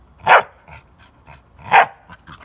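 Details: Pit Bull puppy aged three and a half months, a guard dog, gives two loud, short yelping barks about one and a half seconds apart, followed by faint rustling.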